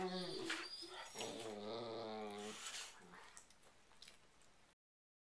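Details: Two dogs in a night-time playfight ritual on a bed; a sustained low growl with whiny overtones holds for about two seconds, then fades into quieter rumbling before the sound cuts off, in an indoor room.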